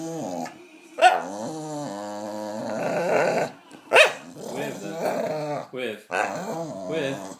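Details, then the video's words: Dog crying for attention to win a bit of biscuit, a run of short, wavering whines and groaning moans of shifting pitch, broken by sharp yelp-like onsets roughly every second or two, indoors. "Dog makes weird noises for attention"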